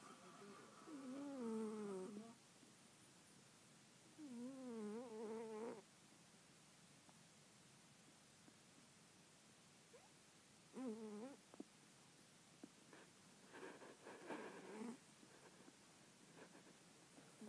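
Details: Domestic cat sleeping and dreaming, snoring softly: quiet wavering, harmonic moaning sounds come in separate bouts a few seconds apart, some longer and warbling, one short, over a steady background hiss.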